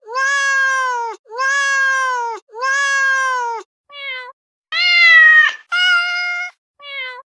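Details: Domestic cat meowing: three long, even harmonic meows about a second each, then shorter, varied meows with a brighter, rising one near the middle; clean, with silence between calls.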